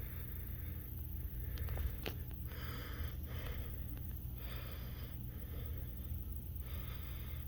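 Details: A group of kept katydids rasp in short, dry, buzzy bursts, roughly one each second, over a low rumble.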